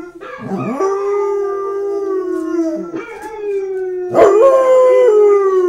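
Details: Elvis, a Basset Hound about a year old, gives long, mournful howls that hold a steady pitch and sag at the ends.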